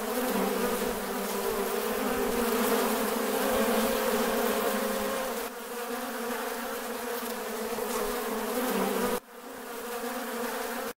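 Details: Bees on a farm make an unbroken humming drone, full and even at first, dipping slightly mid-recording, then cut short by a sudden gap before the buzz resumes.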